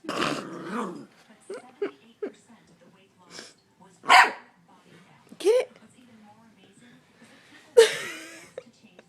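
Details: Nine-week-old Australian Shepherd puppy with her new tennis ball toy lets out three sharp barks a few seconds apart, mixed with a person talking and laughing nearby.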